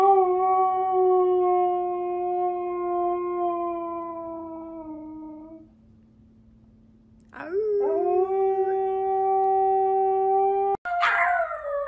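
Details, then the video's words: A dog howls like a wolf in a compilation of howling dogs and puppies: a long, steady, slightly falling howl for about five seconds, a pause, then a second level howl and an abrupt higher cry. "Funny Dogs Howling - Funny Puppies Howling Video Compilation"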